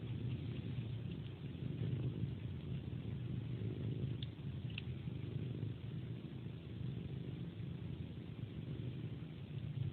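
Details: Domestic cat sucking a human hand like a pacifier before sleep, purring throughout: deep, even vibrating rumble, broken only by a couple of small wet sucking clicks near the middle.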